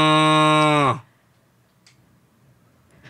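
A cow gives one steady, deep, buzzy moo that drops in pitch as it ends.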